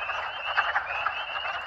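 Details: Early-spring chorus of many wood frogs (Lithobates sylvaticus) at vernal pools in mid to late March, after a snowstorm: overlapping hoarse, clucking croaks blend into a steady rattling din, with spring peepers also calling.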